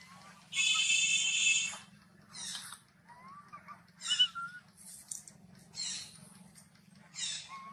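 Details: Baby macaque refused milk by its mother shouts angrily: a long harsh, raspy scream, then repeated shorter rough shrieks mixed with thin rising squeals, above a low background hum.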